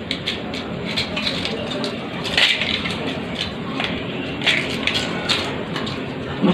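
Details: Crackling, crunching handling noise with brief clicks and faint voices in the background, and no animal calls.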